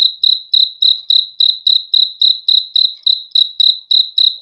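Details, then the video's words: Cricket chirping presented as a sound for good sleep: clean, high pulsed chirps repeated steadily about four times per second with a bright tone, no other sounds present. "BEAUTIFUL SOUND OF CRICKETS"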